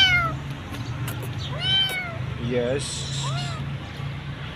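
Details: Hungry street kitten sitting in an electric pool, called over and fed; several short rising-falling meows, a person softly calling to her, low steady hum underneath.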